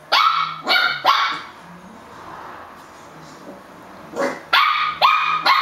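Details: Puppies yapping loudly in a cluster of three quick high barks, a pause with faint background murmur, then three or four more rapid shrill barks at the end.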